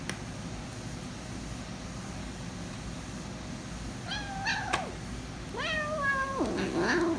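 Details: Hungry female kitten, protective of her food and noisy while eating, gives three harmonic meows in the second half, the first two flat then falling, the last sliding down into a low growly tone, over steady background hum.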